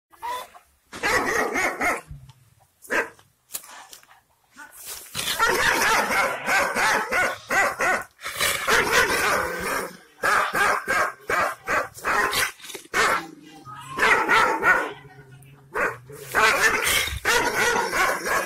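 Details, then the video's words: Aksaray Malaklı Kangal shepherd dog, described as wild, fierce and angry, barking and growling. Bursts of harsh barks come in uneven clusters, some rapid and overlapping, with short silent gaps between volleys. "Aksaray malaklisi Kangal çoban köpeği Anadolu aslanı vahşi hırçın kızgın köpek havlaması urmesi sesi"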